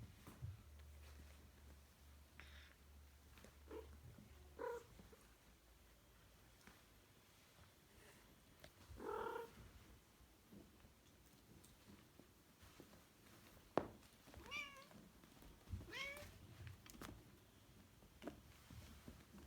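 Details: Bengal kittens at play indoors; faint soft mews scattered through, a short one near the start, a clearer cry mid-way and several thin rising mews toward the end, over low room noise and bumps.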